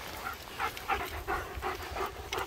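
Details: German Shepherd, one of two dogs named Nico and Zeeva, out in Scottish Borders sunshine near Hawick. Rhythmic breathy pants about three times a second, each a soft open huff, over light wind rumble.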